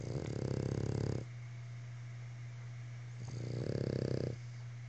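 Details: A Boston Terrier, one of three sharing a couch, snores in two long, low, rattling breaths separated by a quiet pause.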